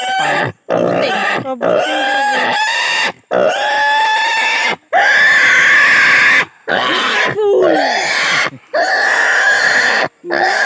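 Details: Native pig squealing during castration: loud, long, strained harmonic screams, some rising then falling, broken by short silent breaths about every one to two seconds.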